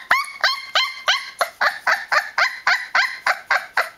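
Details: Noisy protest from a 20-day-old Newfoundland puppy: loud, whiny yelps repeated roughly four times a second, each note bright and harmonic, rising briefly and then sagging downward, in an unbroken insistent series.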